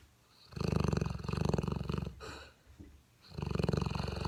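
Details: Sleeping seven-month-old Mastiff pup Dentéa snores loudly, with a deep buzzing rattle lasting over a second, a soft breath in between, then another rumbling snore.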